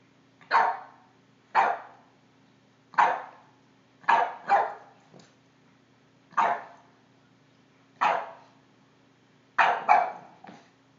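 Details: A 5-month-old Boston Terrier barking at a cord gives sharp, single barks, sometimes doubled, spaced irregularly about a second or two apart.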